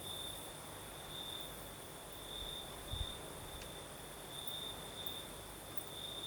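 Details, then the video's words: At night in southern Crimea crickets sing amid a night breeze: high-pitched chirping trills in intermittent bursts, a brief low thump near the middle, and a steady wash of wind noise. "Звук ночи. Юг. Крым. Сверчки поют."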